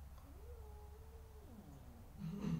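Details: Joko, a favourite pet cat, gives a long drawn-out meow while being scolded indoors: the tone rises, holds steady for about a second, then drops away. A low hum runs underneath, and a short noisy burst follows at the end.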